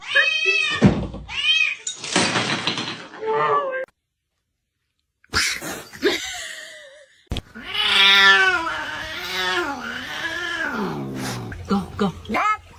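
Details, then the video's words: Cat giving long, wavering, drawn-out meows that rise and fall in pitch, with short harsh cries near the start, amid human speech and laughter in a small room. "cats meowing"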